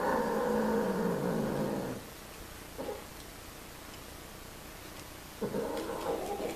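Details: Domestic cats mating, giving a low, drawn-out growling yowl with a steady harmonic tone for about two seconds, then quiet, a brief short cry, and a second rising moan toward the end.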